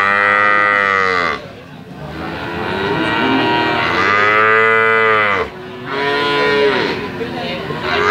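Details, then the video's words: Young calf mooing repeatedly: three strong, nasal, tonal calls of about one to three seconds each, with short quiet gaps between them. "SUARA SAPI PEDET MERDU ( SUARA HEHAN )"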